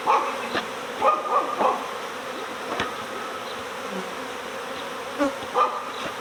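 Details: Honeybee swarm being recovered next door at the start of swarm season, the cluster shaken inside a hive. A continuous low hum carries several brief louder bursts and sharp clicks.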